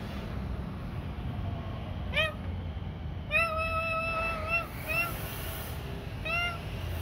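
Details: Kitten that had bitten a hand, meowing: a short call, then a long, steady, drawn-out meow, followed by two brief meows, all over a constant low background rumble.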